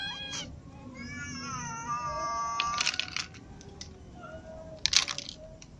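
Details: Ginger cat with little cats and other cats meowing while eating; a long harmonic meow holds steady then falls, with a shorter meow before it, clicks and crunchy feeding noises between, and a low background hum.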